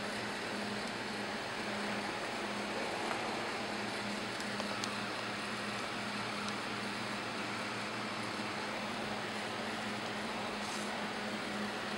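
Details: Steady broadband hum like a fan or passing traffic fills the whole recording, with a few faint high clicks and no animal calls.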